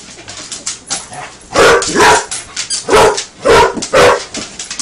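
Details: Playing with a toy alligator, the Basset Hound Buster gives a run of loud, deep barks, five or six in the last three seconds, after a quieter stretch of handling noise.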